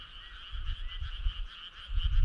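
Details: Brief burst of a frog chorus on a summer night, a steady, rapidly pulsed trill in two bands, with low thumping rumbles in the background.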